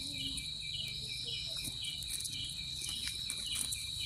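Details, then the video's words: A cricket sings in a continuous shrill trill on one high note, backed by softer rhythmic pulsed chirps, with low rumbling background noise. "Cricket sound effect(cricket sound)"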